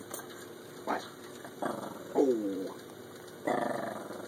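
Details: Katy, a spoiled Shih Tzu puppy, pesters her owner while he works at the computer. Soft grumbling growls come in short bursts, one with a bent, falling whine in the middle, over a faint steady background hum.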